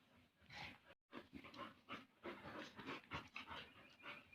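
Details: Bali dogs Jamet and Airbus, one small and one large, playing together; rapid rough panting breaths and huffs come in dense bursts, with scuffling noises and a short silent gap near the start.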